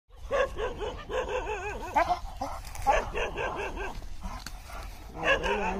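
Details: American Bully behaving aggressively and out of control, with rapid, continuous, wavering barks and yelps. The barking is dense and overlapping, with low rumbling noise throughout.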